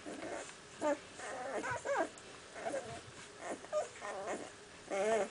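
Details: Several six-day-old puppies in a litter, recorded in April 2008, giving short high whimpers and squeaky yips in scattered bursts with quiet gaps between, some calls wavering upward.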